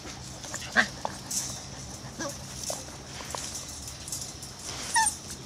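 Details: Sun-warmed Irish Terrier pups aged six weeks let out a sharp high squeal, a few soft scattered whines, and a final rising squeak, all over a low steady hiss.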